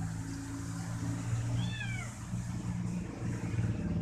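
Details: Kitten that enjoys being massaged with its owner's toes, clinging to the foot and calling as if asking for more; one brief high-pitched meow that rises then falls, heard over a steady low hum.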